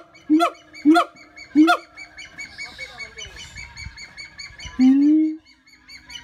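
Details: Three loud, sharp harmonic barks from a siamang, evenly spaced, followed by a pause with soft bird chatter and then one drawn-out rising hoot.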